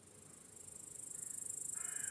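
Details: Crickets chirp steadily in a high, rapid, pulsing trill in an evening meadow at sunset, with a brief harsh caw near the end.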